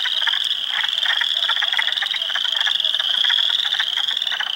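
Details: A dense chorus of hundreds of spring frogs, including Spring Peepers, Wood Frogs and Eastern Chorus Frogs, in a swamp at Heartland Forest, Ontario, April 2, 2022: loud unbroken high trill with rapid rattling pulses packed beneath it.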